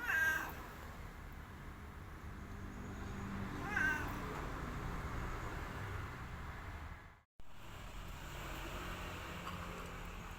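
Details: Two brief, high meows come from Boy, an orange village cat kept as a pet, spaced a few seconds apart over a low steady background hum.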